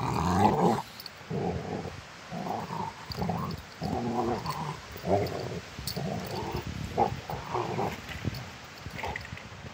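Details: Rottweiler dogs at play, play fighting: a steady run of short, rough growls roughly every half second, mid-pitched and grumbling, with brief scuffling noises between them.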